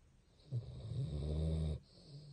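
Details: Sleeping Basset hound giving one long, low, rattling snore lasting over a second, deep and buzzy, then fading back to quiet room hiss.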